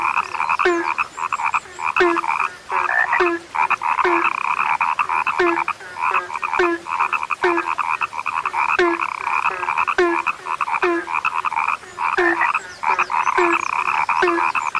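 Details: A frog chorus, billed as a sound that has become rare, churns with buzzy pulsed croaks in bursts. Below it, a deeper, short, downward-sliding note comes back roughly every second.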